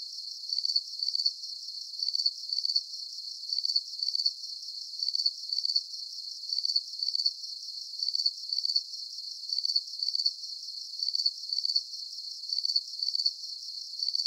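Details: Crickets chirping in a calm nighttime sleep soundscape: high, thin pulsed chirps in close pairs, repeating steadily about every half second with a very even rhythm; no other sounds, and no low-pitched background at all.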